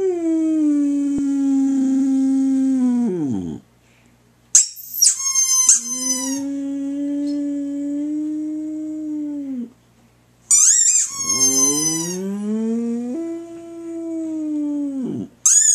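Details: A female Boxer gives drawn-out howls that hold a steady pitch, then slide downward as each fades, answering high, rapid squeaks from a rubber toy that seem to set them off.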